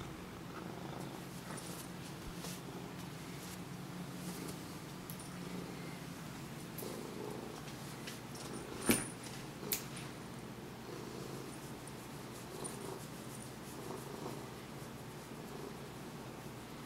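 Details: A Siamese cat enjoying attention purrs steadily, a low continuous rumble with a soft rhythmic pulse.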